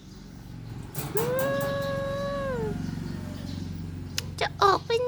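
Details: Domestic cat in the morning, indoors, giving one long drawn-out meow that rises, then holds level for about a second and a half before sliding down. Low household hum runs underneath, with soft knocks and brief voices afterwards.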